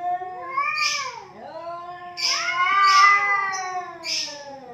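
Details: Two domestic cats fighting, locked in a heated standoff: long wailing yowls with rising and falling harmonic tones, one voice dipping low before a second swells louder, punctuated by hissy bursts.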